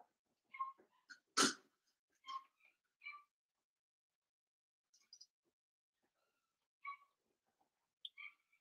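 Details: Seven-week-old blenheim Cavalier King Charles Spaniel puppies in a home pen, high whining squeaks around one loud harsh burst like a sneeze or snort, then scattered faint whimpers separated by silence.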